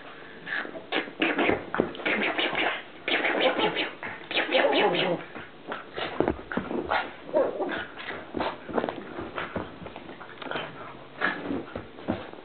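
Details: Columbo, a pet pug, making a strange, funny noise while playing: dense, rapid grunting and snorting bursts with breathy, scratchy texture, continuing almost without pause, with rustling sounds of play in between.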